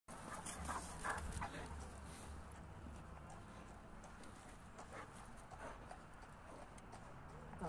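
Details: A Boerboel and a Kuvasz bark at a horse: deep barks in scattered bursts over a noisy outdoor background with some human speech.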